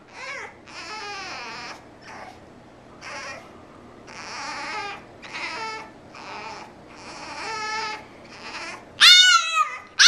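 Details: Frankie the French Bulldog, kept from going out to play, whimpers softly and raggedly indoors over a faint background hum, the cries wavering and breathy, then a sudden louder, shrill rising yelp near the end.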